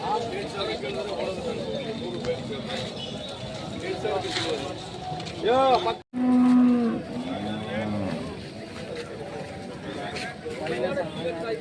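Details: Hallikar cattle at the weekly Monday cattle market at K G Temple, Gubbi taluk, Tumakuru district; a loud sustained low moo with rising harmonic arcs stands out midway amid steady crowd chatter and background music.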